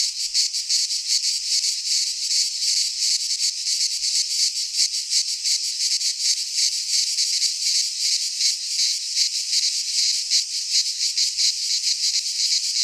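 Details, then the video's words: Cicada song from a Greek pine forest in midsummer: an unbroken, high, sizzling drone with quick rhythmic throbbing from many insects calling together. "Cicadas singing in midsummer - Nature sounds from the Greek fauna - Sounds of cicadas"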